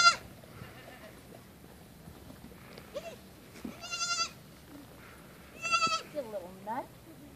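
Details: Young female goat kid at play, jumping off a tree stump and dashing about. Two loud, trembling, nasal bleats a couple of seconds apart, with a softer bleat and a human voice nearby, plus light knocks and rustles.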